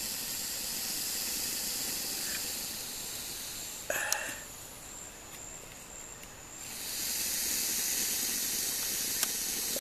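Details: Honduran boa constrictor, filmed at the Lodge at Pico Bonito in April 2017, gives a defensive hiss: a long breathy exhalation, a pause with a faint click and a thin tone, then a second sustained hiss over a continuous insect buzz.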